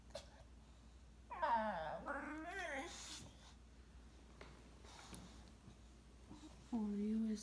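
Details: English Bulldog pouting indoors because he wants his Mom to play with his favorite toy: a drawn-out, wavering moan dipping then rising over about two seconds, a shorter low whine near the end, woman's voice talking between.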